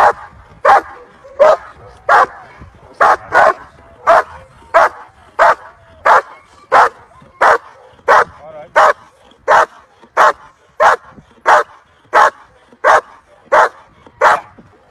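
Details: At the 2023 BSZS world championship, VA5 German Shepherd Felicita v.Schnitzertea gives a long run of strong, evenly spaced barks, nearly one and a half per second, with faint voices underneath.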